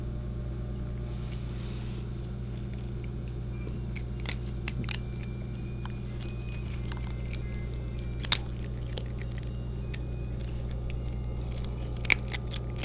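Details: A pet cat named 29 eating indoors: soft, irregular crunching clicks, loudest bursts near four to five and eight seconds, over a steady low electrical hum in a small room.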